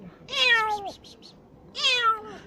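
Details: Kitten named Tintin, one eye swollen shut, crying while handled for eye cream treatment indoors; two drawn-out falling meows, each about half a second, separated by a short pause, with faint human voice in the background.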